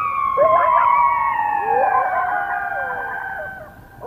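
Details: A coyote chorus of loud overlapping wavering howls and yips, several voices rising and falling together, at night around 1:22 AM on 21 February 2022 near a nest.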